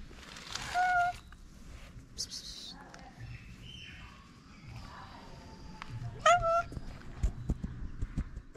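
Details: Ginger homeless street cat in Morocco, hungry and glad to see the person who feeds it, lets out two separate bent meows several seconds apart over quiet outdoor background with faint voices.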